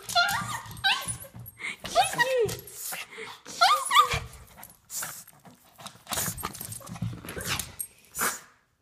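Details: Excited Japanese Chin dog reunited with its owner after months away, producing sharp squeaky whines and short yelping cries in clusters, with a person speaking over and between them indoors.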